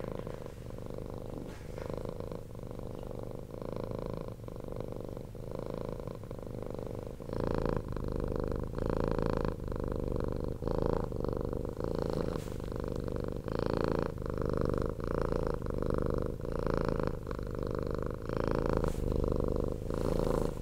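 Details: Domestic cat, a rescued former street cat, purring loudly and continuously indoors like a low motor, a steady rumbling throb with rhythmic pulses that grow stronger after the first few seconds.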